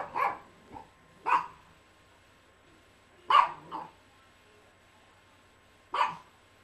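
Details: Yorkshire Terrier Tia, three years old, barking indoors in a living room: four sharp, bright barks at irregular spacing, the first and third each trailed by a softer second yap, separated by near-silence.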